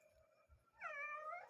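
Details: A cat said to be talking gives one long, clear, wavering meow, arching up and then sliding down, after a few soft thumps in a quiet room.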